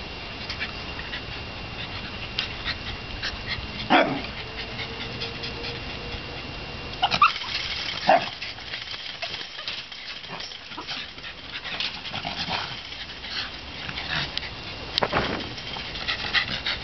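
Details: Young Shiba Inu dogs in shedding season, out of coat and feeling the heat; a few short, sharp yips or barks at scattered moments, around four, seven, eight and fifteen seconds, over a steady background hiss.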